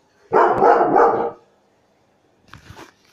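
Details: German Shepherd dog giving one burst of rough, loud barking lasting about a second, followed after a pause by a fainter, short noisy sound.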